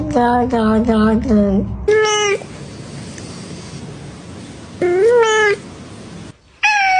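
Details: Cat meowing: a quick series of short repeated mews, then drawn-out rising meows with rich harmonics, separated by stretches of steady background hiss.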